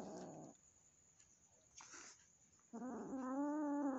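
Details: Household cat and a newly gifted, still fearful kitten getting acquainted; a short rough growl, a soft hiss, then a growl sliding into a sustained, steady-pitched yowl.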